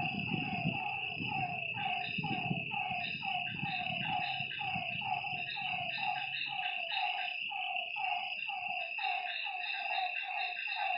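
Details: Lakeside frogs at night in a dense chorus of overlapping falling notes, rapid and continuous, set against a constant shrill insect hum; low rumble fades out after six seconds.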